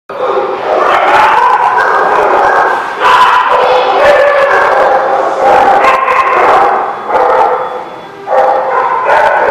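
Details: Dogs at The Barking Lot: a dense, loud, nearly continuous run of overlapping yelping barks and high whines, with brief dips but no real silence throughout.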